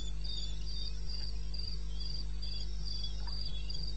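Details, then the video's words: In eastern Botswana's wilderness at 2:30 am, 21 May 16, a cricket keeps up brisk, high, regular chirps, close to four per second, while a low continuous hum runs underneath. "1 Hour cricket sound"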